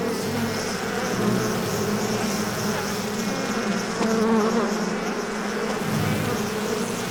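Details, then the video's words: Many bees buzzing at once, an unbroken layered hum with wobbling pitch bands and a brief louder swell near the middle. "Bee Sounds | Bee Humming Sounds, Collective Bee Sound, Bee Wing Flapping Effect Sound, Beehive Sound"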